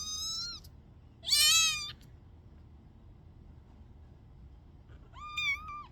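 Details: Three meows from a stuck kitten: a short falling one, then a loud, strained, wavering cry, then after a pause a level meow with a small rise and fall; quiet room otherwise.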